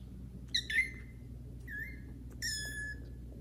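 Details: Indoors, kittens Caramel and Zephyr meow loudly on first meeting the household cats Kira and Daddy; three clear, high, slightly sliding meows within about three seconds, with faint room hum.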